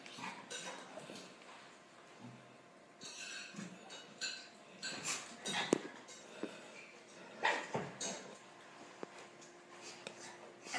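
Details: Two pet dogs, the puppy Kiara and the big dog Kenzo, playing together indoors; scattered short growly and whimpering vocal bursts amid scuffling, clattering and thumping in a small room.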